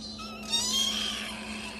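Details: Kitten giving one drawn-out, thin, high meow that rises and then eases gently downward, with a steady low hum underneath.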